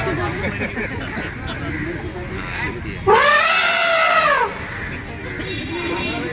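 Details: Elephant in Kerala giving a single loud, harmonic trumpet lasting just over a second, rising then falling in an arched sweep, over a steady background of people talking and outdoor chatter.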